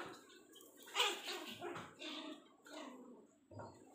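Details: A playing mini Pomeranian lets out a few sharp, high yips about a second apart, followed by a softer low grunt near the end.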